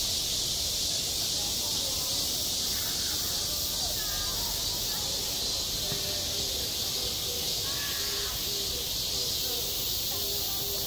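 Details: A summer school playground, with cicadas producing a steady, piercing high buzz that fills the air, and softer human voices chattering intermittently in the background.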